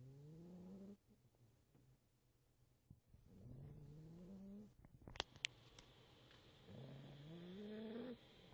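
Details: A sleeping Boxer puppy snoring softly. Three drawn-out, slightly rising tonal snores of about a second each, separated by quiet breathing, with a couple of brief clicks in between.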